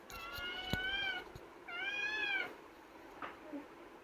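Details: Pavi kutty, a caged pet kitten arguing to come out, gives two long harmonic meows, the second arching up and down, followed by a faint short squeak; a sharp click sounds between them indoors.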